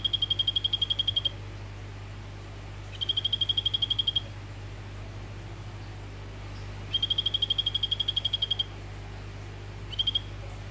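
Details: Male Phyllobates vittatus, orange form, kept in a vivarium and calling a female. Several high, buzzy trills of quick identical pulses, each lasting about one to one and a half seconds, are separated by pauses of a few seconds. A steady low electrical hum runs underneath.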